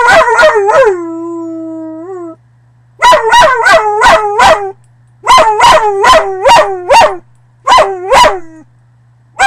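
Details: A dog gives one held, wavering howl that slides down at the end, then breaks into rapid runs of short yelping barks with brief pauses between the bursts.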